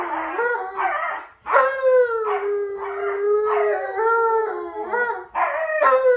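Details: Male Alaskan Malamute kept as a pet howls in a talkative exchange with Alexa, imitating a wolf: a sustained mid-pitched tone that falls gently, overlaid with rhythmic wavering yodel-like pulses, after a brief break.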